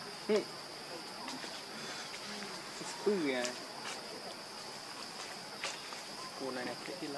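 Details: Baby monkey crying: two loud, short tonal wails that rise and then fall, about three seconds apart, with a few fainter cries near the end, over a steady high insect drone in an outdoor setting.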